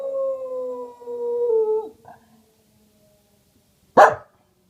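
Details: A female Welsh Corgi howls at a tornado siren with a long, steady howl that sags in pitch, then gives one sharp bark.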